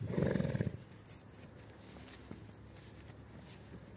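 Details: Stallion, a Soviet heavy draft horse, let out with a mare, giving one short low rumbling neigh at the start, followed by quiet shuffling and faint thuds.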